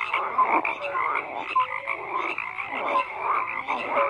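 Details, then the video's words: Frogs croaking in a dense overlapping chorus, many callers at once, with short tonal notes and rasping pulses layered over a steady mid-pitched din. "FROGS CROAKING"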